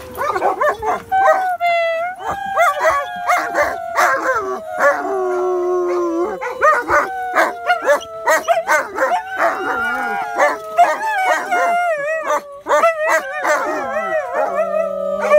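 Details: A shepherd and a husky howling together: long, drawn-out, slowly falling tones overlap with wavering higher howls and short yelps, sounding continuously throughout.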